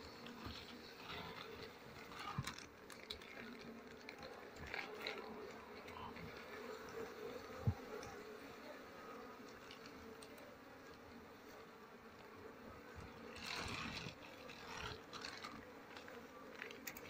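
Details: Swarming honey bees during a honey harvest after smoke is applied; an even, sustained buzz fills the recording, rising slightly in places, with occasional knocks and faint handling noise.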